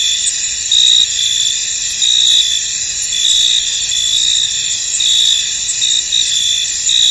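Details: Field crickets in fog keep up a bright, unbroken high-pitched drone, punctuated by stronger chirping pulses every second or so.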